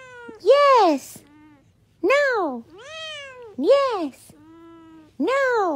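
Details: Domestic cat meowing repeatedly, about four loud arched meows with rich harmonics, each rising then falling, spaced roughly every one and a half seconds, with softer lower tones between them in a small room.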